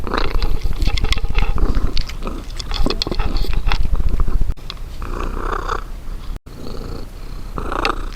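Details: Cat purring loudly while it eats, a fast pulsing low rumble with crisp chewing clicks layered on top, easing into softer chewing and short pauses.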